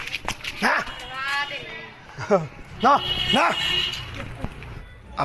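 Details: American Bully dog during its first mating: a series of high, arched whimpering yelps, several in quick succession in the middle, with people talking over and around them.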